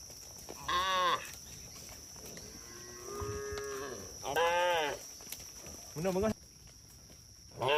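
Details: Cows roaming the road in a group, several moos overlapping: a strong arched call, softer lowing from other animals in the background, another bright moo, then shorter calls near the end.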